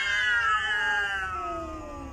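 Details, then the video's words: Female domestic cat angry at a second cat: a single sustained, harmonic-rich yowl, loud at first and slowly falling in pitch and volume over two seconds. "MY ANGRY CAT she doesnt like the other cat"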